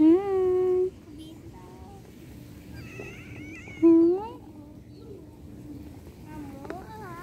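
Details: Cat meowing over separation from its owner: a loud, steady, drawn-out meow of almost a second opens, a shorter rising meow follows near the four-second mark, with soft voices indoors between.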